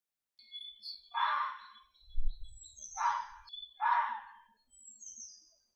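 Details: Three harsh, hoarse red fox screams in quick succession, with thin high whistles and chirps of birds running over them and a brief low rumble in the background.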